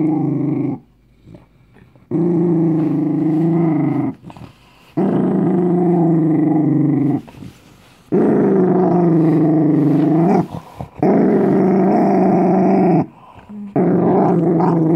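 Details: A scared Dachshund growls over a homemade treat. Long, low, throaty rumbles of one to three seconds repeat with short quiet gaps between them, each growl holding a steady, rough tone.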